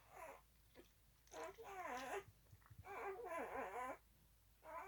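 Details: A 4-day-old Alaskan husky puppy crawling around squeals and whimpers in thin, wobbling tones that rise and fall, in a few uneven bursts with brief quiet gaps between them.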